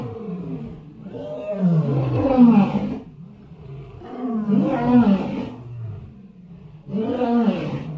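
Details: Three drawn-out, rough elephant calls rich in harmonics, each rising then falling in pitch over about two seconds, separated by lower, quieter pauses.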